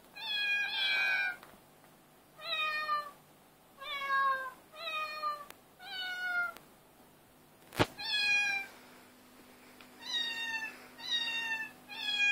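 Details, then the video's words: Cats meowing in chorus, recorded on an Android phone: about ten rich harmonic meows spaced roughly a second apart, some slightly downward-sliding, with one sharp knock midway and a faint steady hum. "Cat chorus 2"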